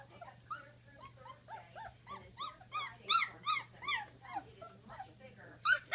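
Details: Great Dane pups at 16 days old produce arched, rising-then-falling whines about three per second, growing louder toward the middle, ending in a sharp, loud squeal.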